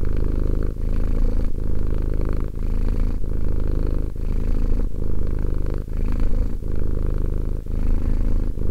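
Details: Low, throbbing purr from the two-year-old cat Romek, pulsing without stop except for quick breathing breaks spaced under a second apart across the whole stretch.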